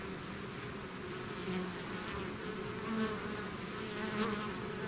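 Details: Honeybee swarm pouring out of its hive: a dense, steady drone of countless wingbeats with low hum bands, swelling slightly in loudness and broken by brief nearer buzzes passing close.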